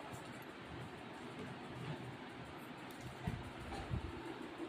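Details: Steady broadband rumble like a passing train or vehicle, with faint voices underneath and no animal calls.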